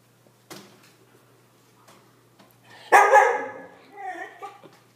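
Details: Siberian Husky scared by a balloon, giving one loud, rough bark followed by a trailing whine, with a few softer sounds before it and a low background hum.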